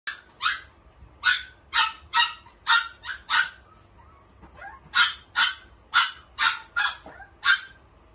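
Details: Red-coated male Shiba Inu born in February 2021, barking sharply and repeatedly: about fourteen loud, bright barks over eight seconds, mostly single or in quick pairs, with a short quieter gap midway and no other sounds.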